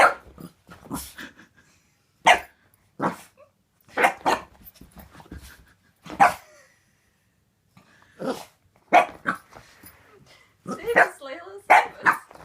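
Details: Female Boxer puppy, a pet dog, barking warily at a new squeaky toy. Sharp single barks come in irregular bursts over twelve seconds, some doubled, with quiet gaps and a few gruff, growly notes near the end.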